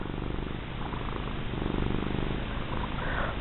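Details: Domestic cat, a plump female, purring steadily while being rubbed and petted; a continuous low rumbling throb with regular pulsing, no other clear sounds.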